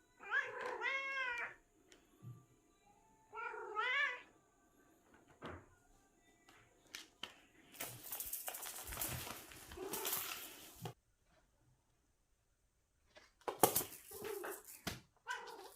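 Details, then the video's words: Seven-year-old cat making odd hunting calls: short, wavering, whiny meows near the start, then a stretch of loud rustling and clatter. Sudden silence follows, and a few more strained calls with noise come at the end. "이상한 소리를 내는 고양이 (7살 고양이의 사냥법)"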